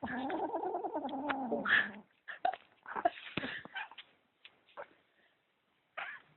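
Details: Kitten possessive over socks, indoors, giving a low, steady harmonic growl for two seconds, then a scatter of short clicks and scuffles with brief silent gaps.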